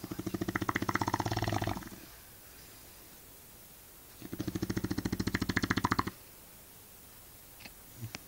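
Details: Shar Pei named Eva snoring: two long, rattling, rapidly pulsed snores of roughly two seconds each, separated by a quiet gap of about two seconds, then a couple of faint clicks near the end.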